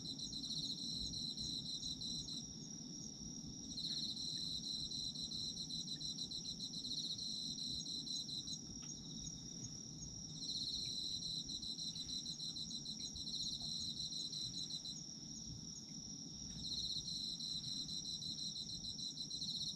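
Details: Autumn insects singing together: a constant shrill trill layered with pulsed chirping phrases that switch on and off in roughly five-second bouts, with gentle low background noise throughout, meant as a sleep soundscape.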